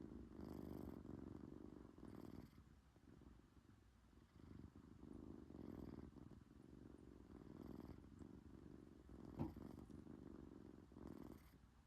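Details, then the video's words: Low, buzzy purring mixed with snoring from a British Shorthair kitten during sleep, pulsing in slow breath cycles of about one and a half to two seconds, in a quiet room. "코골이 + 골골송"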